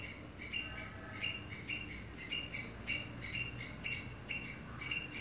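An English Cocker Spaniel puppy gives short, high, squeaky whimpers repeated about twice a second.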